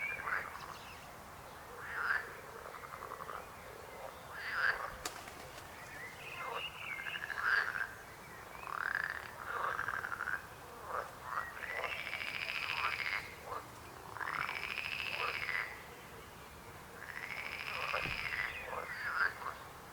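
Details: Frog croaking over twenty seconds: short rattling croaks early, then long rasping arched croaks repeated every two to three seconds, with a brief click and light background noise.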